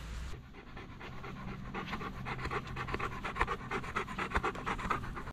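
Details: Olly, a pet Bernese Mountain Dog, panting hard: rapid breathy huffs, about two per second, each a short airy burst, steady throughout, with a faint low hum underneath.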